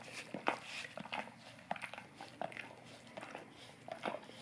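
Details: Golden retriever licking an Orapup tongue cleaning brush indoors to freshen breath; wet smacking clicks and slurps arrive in quick irregular bursts, roughly two per second, in a quiet small room.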